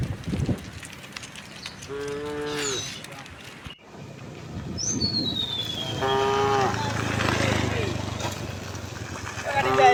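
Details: Cows of a tame herd moving cheerfully toward open pasture on a peaceful sunlit morning; two brief, rough moos several seconds apart, with a falling bird whistle between them and steady outdoor background noise.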